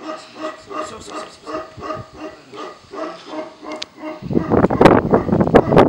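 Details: Tibetan Mastiff at the Russian kennel Nasledie Tibeta during a protection test against strangers it does not know. The dog was never trained for guarding. Evenly spaced barks repeat quickly for four seconds before loud scuffling and shouting take over.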